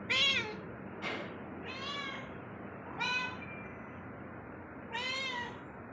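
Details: Indoor house cat wandering through its home meows repeatedly, short arched calls spaced about every one to two seconds, with a sharp click or tap near the start and quiet room background.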